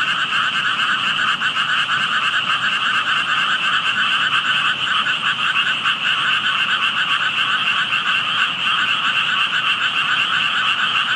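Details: Unseen frogs heard by a passer-by at a place where only tadpoles showed: long, unbroken chorus of many rapidly pulsing croaks, gently wavering in intensity.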